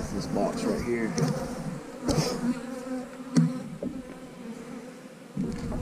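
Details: Honey bees at an eight-frame hive, a steady low droning buzz with brief handling clicks and a few faint spoken words near the start.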